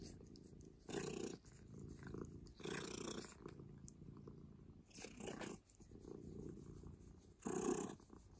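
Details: Office cat making cat noises. Low, rumbling purr-like bursts come in waves about every two seconds, with a louder burst near the end and a steady hum behind them.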